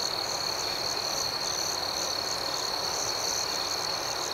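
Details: Continuous high, even trilling of crickets at night. The chorus is unbroken, with a faint pulsing shimmer above it and no louder bursts.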